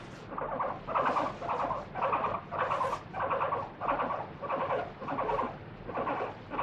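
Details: Moru-chan the guinea pig, a free-roaming pet, shrieks while held and wiped with a wet tissue during a body check: loud squeals pulsing about nine times in under seven seconds, evenly spaced, with a faint background hum.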